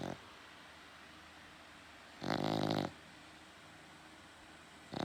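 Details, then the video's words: Loud snoring from a pet dog at night indoors: one strong rasping breath lasting under a second after a long quiet gap, with another snore starting at the end. "My dog snores too loud"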